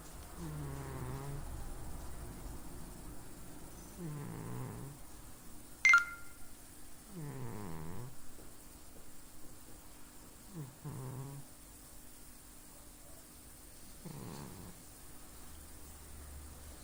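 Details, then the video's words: Sleeping house cat snoring: five low, grating snore breaths roughly every three seconds, each a rough buzzy rattle, with a brief sharp click near the start and constant faint room hiss. "Snoring cat"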